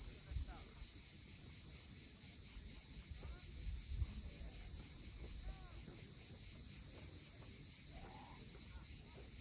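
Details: Crimean coast at Cape Fiolent at sunset: an unbroken bright buzzing of cicadas fills the upper range, while waves wash below and a few short curving bird calls slip in.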